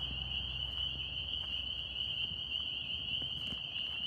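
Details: Northern spring peepers from New York form a continuous high, bright trill-like chorus with no pauses, accompanied by light crackling sounds and a low rumble.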